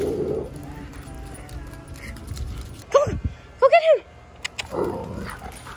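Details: Alaskan Malamute on a summer weekend in Marathon Key, Florida Keys, recorded on an iPhone 11 Pro: two short, arched, whining woo-like cries in quick succession, rising then falling, over people talking and background music.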